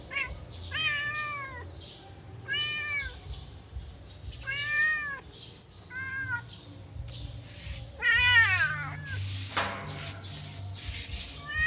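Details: Playing yellow cat calls in a run of about five arched, harmonic meows, the later ones louder and more strained, followed by a burst of rustling noise; low hum throughout.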